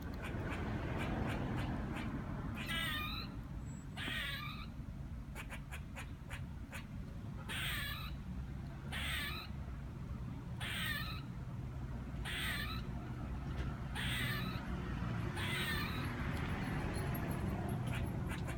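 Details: A squirrel up in a tree, first mistaken for a chicken, gives harsh, buzzy barks in short bursts, repeated every second or two over a low rumble.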